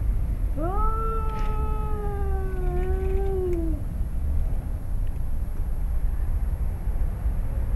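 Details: A father cat and his son growl at each other before a fight in a yard in Arequipa, Peru; one drawn-out yowl swells and sags for about three seconds, then only low rumbling background noise remains.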